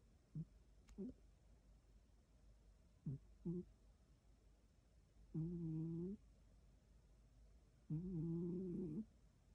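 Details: Elderly pet cat snoring while asleep: soft, low-pitched humming snores in rhythmic breaths, first short paired snorts, then longer droning tonal snores lasting nearly a second each, separated by quiet pauses.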